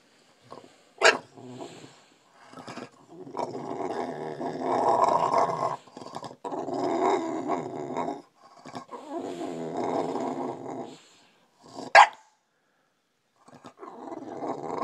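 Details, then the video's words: A bulldog waking its owner up makes long, rough, grumbling growl-like vocalizations in several drawn-out bouts, broken by short sharp bursts and brief pauses. "Brutus the Bulldog wakes me up"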